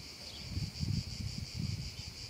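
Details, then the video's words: Cicadas singing on a hot summer afternoon in a meadow in Italy: a continuous high, steady buzzing drone, slightly pulsing, over low rumbling wind noise. "un caldo pomeriggio d'estate e le cicale"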